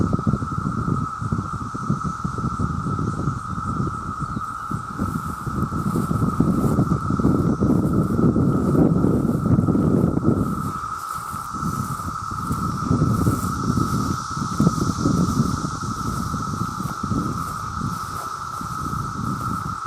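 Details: Male cicadas by the millions call for mates in a continuous, level, high droning hum, while heavy low rumbling noise swells and fades beneath it, louder in the middle and again near the end.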